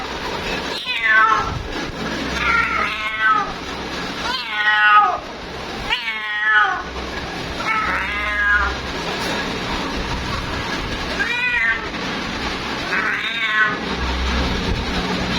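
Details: Female cat calling for her mate, a series of six long, rising-then-falling meows spaced about every one and a half to two seconds, each with a bent, wavering tone, over constant low hum.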